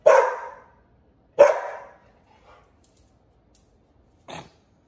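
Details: Pit Bull puppy pestering an older dog: two loud, short barks about 1.4 seconds apart, each fading quickly, then a faint soft sound and a brief sharp noise near the end; human voice nearby.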